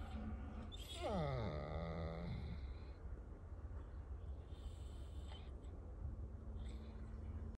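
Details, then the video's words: Newfoundland dog crying: one long whine that slides steeply downward from a high cry into a low, wavering moan, then low background murmur and faint room noise. "he wont stop crying"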